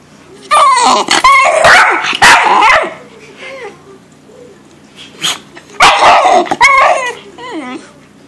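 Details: Deaf male bull terrier voicing displeasure at waking up: rapid clustered yips and harsh grumbling barks mixed with wavering whining moans, two main bursts separated by a quieter stretch of low grumbles.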